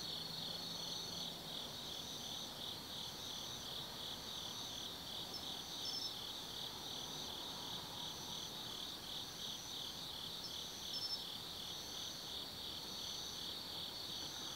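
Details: Night chorus of autumn forest insects at Tsukimi no Mori in Kaizu, Gifu Prefecture, Japan: steady high-pitched ringing trills layered together, with short higher pulsed phrases recurring every few seconds over a quiet background.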